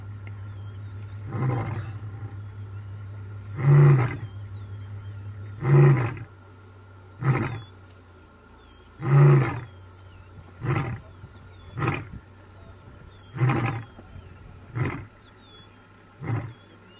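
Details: An African lion in the Masai Mara roars in a deep, booming bout that trails off into shorter, softer grunts.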